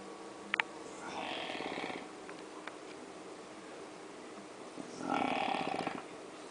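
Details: Jorge, a French Bulldog, snoring loudly: two long rasping, buzzy breaths about four seconds apart, each lasting roughly a second, with faint clicks between them.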